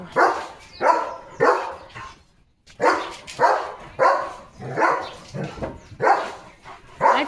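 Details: Leo, a pet German Shepherd, barking in loud, rough bursts, roughly two per second, with a short pause partway through and a man's voice nearby.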